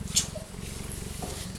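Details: Cheetah purring close by, a steady low rumbling throb pulsing rapidly and evenly throughout, with a brief high click near the start and faint background noise.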